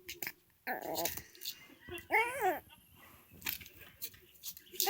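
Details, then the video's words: Teething three-month-old puppy crying indoors: two whiny, wavering cries rise and fall in pitch, the second louder and longer, with soft rustling and faint clicks between them. "3개월 아기강아지의 짖는소리/우는소리/이갈이/입질"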